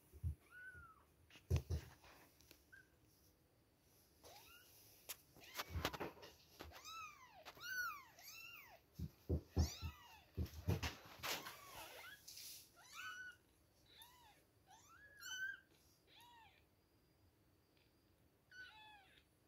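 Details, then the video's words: Several two-week-old kittens at milk time cry with overlapping high, arched meows, dense and irregular, mixed with sharp knocks and rustling handling noises. "2 weeks old baby kittens, milk time! #cute kittens #kittensmeowing"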